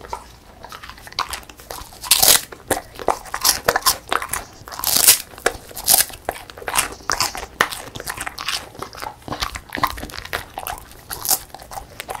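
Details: Female beagle, born December 2016, eating a crispy puffed rice snack; sharp dry crunches and bites come in quick irregular bursts, with several louder snaps around the middle and soft chewing between.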